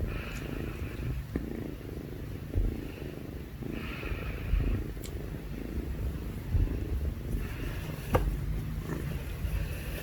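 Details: Two kittens purring, filmed in the evening after dinner: a continuous low rumbling purr throughout, with faint brief clicks and small rustles on top.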